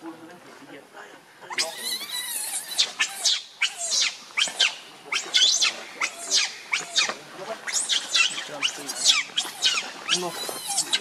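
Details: A hungry, angry baby monkey begs its mother for milk with a run of high, rasping screams, repeated about every half second after a quieter start, some cries rising and falling in pitch.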